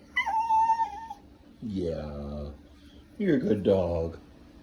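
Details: Male pet Welsh terrier making funny noises: a steady high whine lasting about a second, then a low drawn-out groaning moan, and finally a wavering, throaty warble like talking back.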